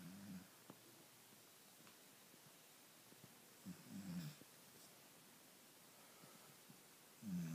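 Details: Lola the Labrador Retriever asleep in the late afternoon, snoring steadily: low, throaty rasping breaths roughly every three and a half seconds, three in all, with quiet pauses and small clicks between them indoors.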